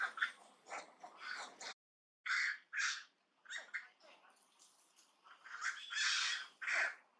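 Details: Monkey Duchess of the Angkor Archaeological Area, Cambodia, shouting on seeing an enemy coming. Short, harsh squawking barks come in irregular clusters, with a brief silence near two seconds. A louder, raspy scream swells near six seconds.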